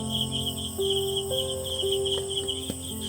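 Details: Crickets chirr steadily in a high, pulsing trill in the evening quiet of a rural village after dusk.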